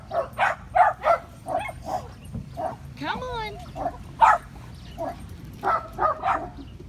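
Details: Five-week-old Patterdale Terrier puppies exploring a homemade earth tunnel of black PVC pipe give a run of short, high yips and whimpers with one drawn-out wavering whine, while a person coaxes them softly.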